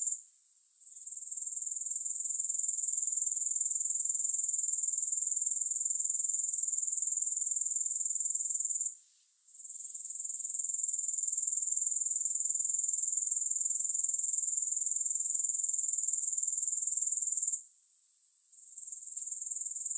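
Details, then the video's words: Grasshoppers in a continuous, very high-pitched shrill buzz with fine rapid pulsing. The sound drops out briefly twice, then returns and builds again. No music plays. "3 Hours of Grass Hopper Sounds"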